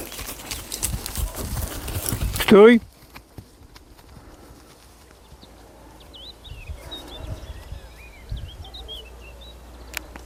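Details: A 3-year-old Arabian mare in her first heat in May, being checked for breeding readiness near geldings, gives one brief, loud, quavering neigh after rough noise and voices, then quiet with faint bird chirps.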